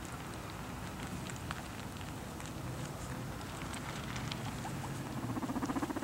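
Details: Several guinea pigs munching their food, giving soft continuous crunching and patter-like nibbling at about four bites per second. A brief tonal squeak rises near the end over a low hum.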